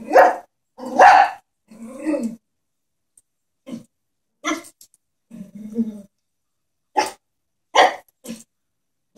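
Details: Small pet Chihuahua afraid of a stuffed toy horse barks in quick, uneven volleys of sharp yaps, with a couple of brief low growls, about seventy bursts a minute.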